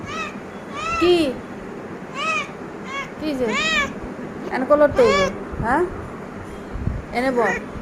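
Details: Cat outside a closed room door trying to get in, giving about six drawn-out, arching meows spaced a second or so apart, with people talking loudly over and between the calls indoors.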